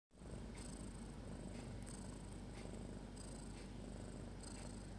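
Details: Snopi, a pet cat, sleeping with her kittens; a soft, steady low rumble runs throughout, with faint breathy hisses recurring roughly every second.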